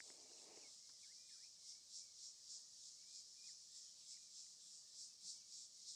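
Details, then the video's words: A dense, shrill insect chorus from the trees swells in pulses about three times a second, with faint scattered bird chirps and a brief low rustle, at sunset on 27 December 2024 in Rietspruit Game Reserve, Lowveld, South Africa. "And then maybe you can hear all the insects that are around us in these trees."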